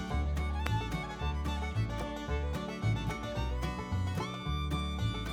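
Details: Upbeat country-style music with fiddle and steady plucked bass, with no animal sounds.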